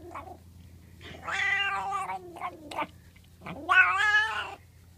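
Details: While being scratched, a pet cat makes two long, moaning, warbling meows about two seconds apart, the second rising sharply at its start, with a brief chirp between them and a low indoor hum underneath.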